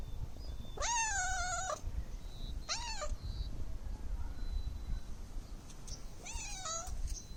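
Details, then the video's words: Domestic cat meowing three times: a long drawn-out wavering mew, a shorter arched mew, then another long wavering mew, rich and harmonic, with soft background noise between calls. "Cute cat meow"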